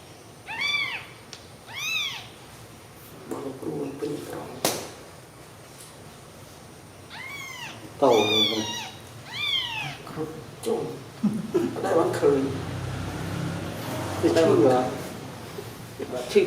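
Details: Sleeping newborn kittens, full of milk, let out a string of thin arched mews, two early and a close cluster later, while people talk softly in the background.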